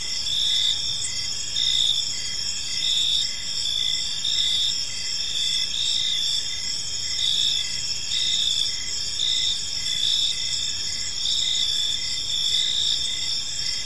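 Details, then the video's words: Several crickets calling together in a park at evening, high ringing trills held steadily with rhythmic chirps pulsing over them throughout, a dense insect chorus without other animals. "Cricket Sounds in a Peaceful Park"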